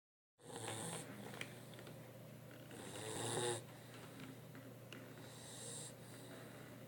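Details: Cash, a sleeping Mastiff, snores in a few breathy, rasping bursts around one, three and six seconds, each with hissy high noise, over a steady low electrical hum.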